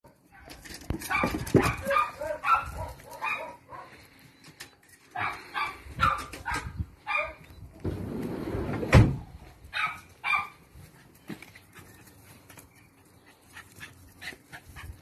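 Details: Parson Russell Terrier Attractive Aramis of Green Spirits, called Lenny, on a weekend in Styria, gives a run of sharp, hoarse barks in quick bursts, pauses, then barks again in scattered bunches over a low rumbling background.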